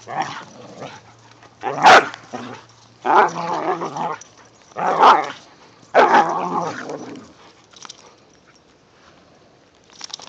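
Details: Whippets and a rat terrier playing in the first light snow of the season give four separated bursts of barking and growling, roughly one every second or so, then the sound fades to quiet.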